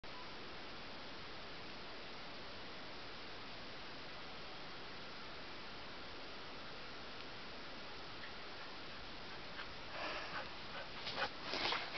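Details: Steady blowing wind noise on a snowy mountain trail, with brief rustling and crunching bursts near the end; no animal voice.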